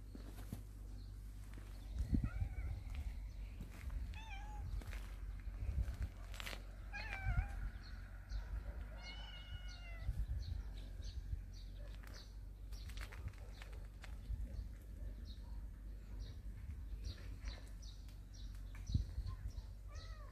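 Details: Cat family living in a storehouse, out basking in the morning sun: several short arching meows break out one by one across twenty seconds, some thin and high, others lower, amid soft rustling and tapping noises.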